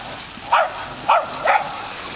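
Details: Tricolor Shetland Sheepdog named Sky, happy playing with water on a summer holiday at Breskens, Zeeland, 18 August 2011. Three sharp, clear barks spaced about half a second apart, with a constant background rush of water.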